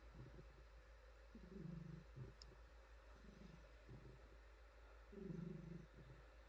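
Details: Petted female house cat giving a low, throaty purr, two louder rumbling swells with softer purring between them, set against quiet room hiss and faint stroking sounds.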